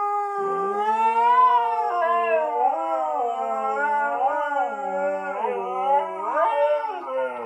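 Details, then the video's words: Pair of pet Huskies singing a duet in very low voices: overlapping, wavering howls that rise and dip repeatedly, two voices weaving around each other continuously for several seconds. "Husky singing a duet in baritone"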